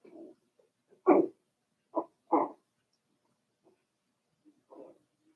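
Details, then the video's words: Daisy's Cavalier King Charles Spaniel puppies, four weeks old, kept in a puppy pen, letting out a few short, sharp little barks spaced about a second apart between soft low whimpers. "Daisy's Cavalier Puppies Livestream: 4 weeks old"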